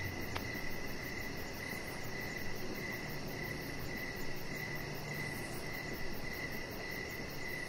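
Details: Crickets chirping outdoors in the evening beside a deck where a small dog rests: a steady, fairly high-pitched chirp repeats roughly every half second over a constant low rumbling hiss, with a faint pulsing shimmer above.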